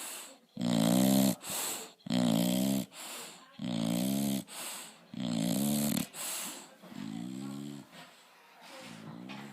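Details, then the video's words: A bulldog snoring loudly, with deep, rasping, buzzy snores about every second, in a steady rhythm of strong inhaled rumbles with short gaps between them, fading somewhat toward the end. "Bulldog snores (loud)"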